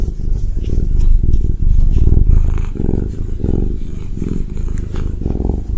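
A Ragdoll cat purrs steadily, a deep rumbling vibration swelling and easing with each breath.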